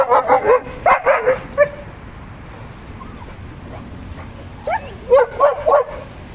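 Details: German Shepherd and Boxer dogs at home barking in two bursts of short, sharp yapping barks, about five quick barks at the start and four more near the end, with a quiet gap between.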